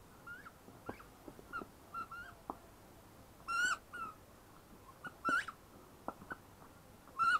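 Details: Ten-week-old female shepherd puppy whimpering softly and sparsely: a few quiet high whines early, then three louder rising squeaks spaced about two seconds apart, among light clicks and rustles indoors.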